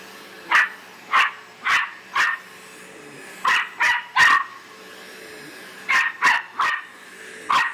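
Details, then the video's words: Pet Australian silky terrier Bear barking like mad at a vacuum cleaner; clustered sharp yaps in bursts of four, three and four with short pauses between, over a constant low mechanical hum. "Silky Terrier barks at Vacuum"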